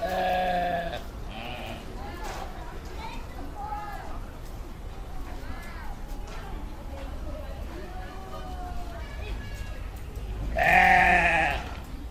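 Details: Several sheep bleating: a loud bleat at the start, many quieter short bleats from the flock through the middle, then a strong harsh bleat near the end, over low background rumble.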